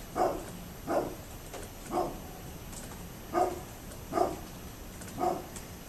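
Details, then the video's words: Barking of a neighbour's dog on 27 October 2011, six short barks spaced about a second apart, somewhat distant against constant low hiss. "Neighbors Barking Dog"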